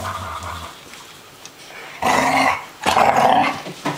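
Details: Three playing dogs: a low growl fades into quiet, then two loud, harsh bursts of growling barks about a second apart.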